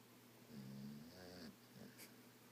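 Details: Female dog named Wendy snoring while awake with her eyes open, indoors; a single drawn-out, rasping snore with a low buzzing tone, followed by a shorter, quieter snort.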